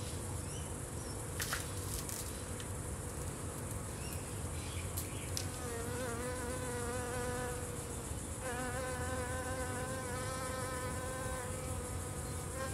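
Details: Blue-banded bee on a salvia, with a striped lynx spider moving out of its way. A low background hum comes first, then a steady, rich buzz from about halfway through. It drops off briefly and soon resumes.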